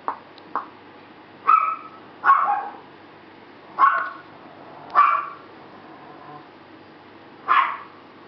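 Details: Two Bulldog puppy sisters yapping in short, sharp, high-pitched barks, about seven in all, irregularly spaced with brief pauses between them.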